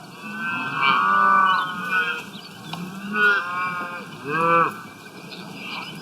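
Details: Cows grazing outdoors give several drawn-out, rich moos that rise slightly and then fall away, about a second apart.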